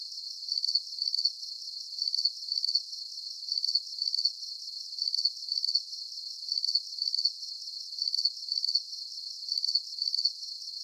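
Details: High, ringing cricket chirps, each burst made of rapid pulses and usually doubled, repeat evenly about every one and a half seconds; a faint high hiss underneath, otherwise quiet.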